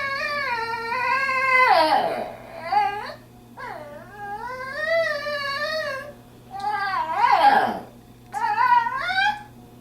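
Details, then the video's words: Female pet dog indoors while visiting a friend, making person-like talking noises to show she wants to go home; long wavering whining howls rising and falling in pitch, four drawn-out bouts with brief breaks between. "makes noises like a person letting me know she wants to go home"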